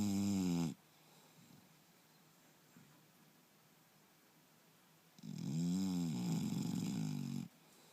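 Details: English Bulldog named Turbo, asleep and snoring again: a loud, harsh, droning snore fades out at the start, then after a quiet pause another rasping snore rumbles for about two seconds in a small indoor room.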